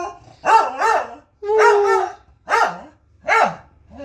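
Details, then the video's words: Pet corgi, recorded on a phone, giving short yodelling howl-like yowls when its owner prompts it, four quick wavering bursts with one longer steady tone in the middle. "cute corgi howling"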